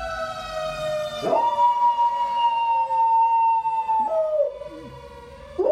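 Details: Golden Retriever howling in reaction to a passing fire truck siren: a long, steady, mid-pitched held note of about three seconds that then dips lower and slides down, over the fading wail of the siren.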